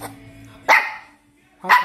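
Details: A Maltese dog barking indoors because it wants to get up onto the sofa: two sharp, bright barks about a second apart, with a faint steady hum between them.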